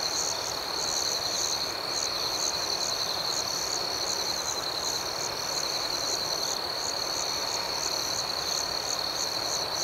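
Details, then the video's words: Steady night chorus of crickets: an unbroken high-pitched ringing trill beneath regular pulsed chirps that repeat evenly for the whole stretch, with no other sounds. "Soothing Cricket Sounds"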